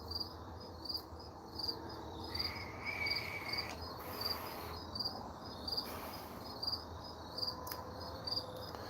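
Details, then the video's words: Crickets chirping outside at sunset on 20 September 2020, short high pulsed chirps repeating roughly every half second in steady bursts, with a brief lower whistled sound in the middle and faint background hum. "grass is growing trees are blowing in the wind birds are flying you can hear the crickets out there chirping"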